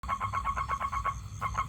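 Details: Male toad calling to attract a female for mating: a steady run of short, nasal pulses at mid pitch, about six per second, with a low background rumble.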